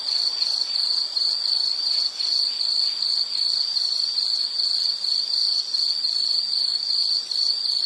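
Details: Insect chirping as an unbroken high-pitched pulsed trill, steady in pitch and level across the whole stretch.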